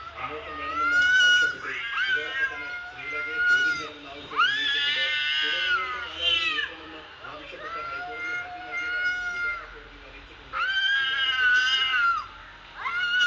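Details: Cat sounds played on a mobile phone to a mature domestic cat: long, drawn-out harmonic meows and yowls, each lasting one to two seconds, rising then falling, with short pauses between and faint room noise.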